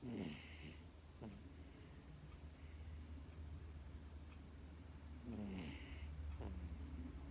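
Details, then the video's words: Sleeping female Miniature Dachshund pet indoors, dozing off and snoring: soft low rumbling breaths with a faint hiss, two louder wheezy snorts a few seconds apart over a steady low hum. "ミニチュアダックス の寝息、いびき"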